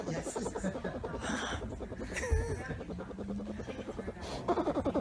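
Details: A bear cub purrs contentedly with a fast, throbbing, sputtering rumble like a flooded engine failing to catch, while a woman talks softly over it and wonders whether she is dreaming.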